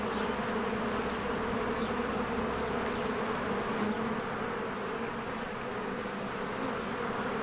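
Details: Spring hive ambience: many bees fly around their cozy hive, producing a loud, continuous, low buzzing drone that wavers slightly in intensity but never stops.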